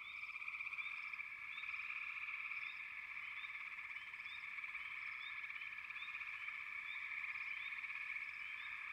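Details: Many frogs calling together in a continuous, rapidly pulsed trilling drone, scattered brief upward chirps breaking through on top at irregular intervals.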